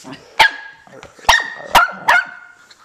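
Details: A one-year-old Jack Russell Terrier and Shih Tzu mix barking indoors: four sharp, bright barks at uneven gaps over about two seconds, with soft yips and small scuffling sounds between them.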